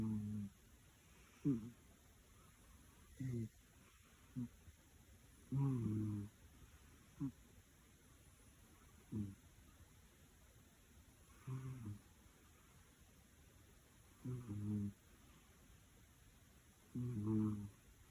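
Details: Fiona, a domestic cat adopted from a shelter, snoring during a nap indoors; low rumbling snores recur in short bursts every two to three seconds against a quiet room.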